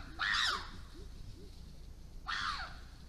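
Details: Wild chimpanzees in the Issa Valley, Tanzania, intimidating wild dogs: two loud, harsh screams, each about half a second, rising then falling, the second after a two-second gap, with lower softer calls between.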